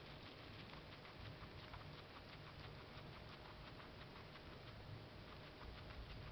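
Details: Female guinea pig eating parsley, rapid dense crunching and nibbling clicks running steadily throughout, with a soft low background rumble.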